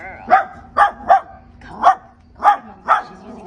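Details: A one-year-old Chihuahua mix, outdoors and too wound up to focus, gives six sharp, high-pitched barks in an uneven series over a few seconds. She barks at men, things on wheels and loud noises.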